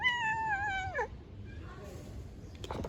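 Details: Hungry stray street cat being fed: one clear, drawn-out meow of about a second, holding a steady pitch before sliding down at the end. Quieter background murmur follows, with a man speaking Turkish just before.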